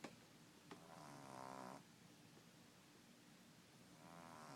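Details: French Bulldog puppy, ten weeks old, sleeping indoors and giving its first snores: a buzzy, rattling inhalation lasting nearly a second, then quiet breathing and a second snore starting near the end.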